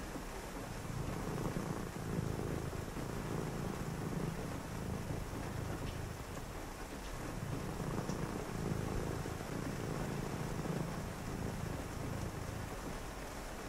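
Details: On a rainy night, a cat keeps up a soft, low continuous purr, pulsing with each breath in and out, while rain patters steadily in the background.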